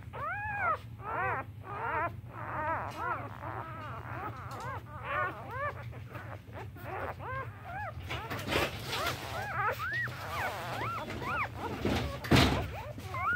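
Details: One-day-old Siberian Husky/Boxer or Mastiff mix puppies give thin, high, rapid whimpers, each cry rising and falling in a quick arch. Later several pups cry at once over a low hum and rustling, while the mother takes a break.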